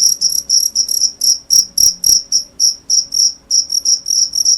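A cricket chirps steadily, giving high, pure pulses about three or four times each second.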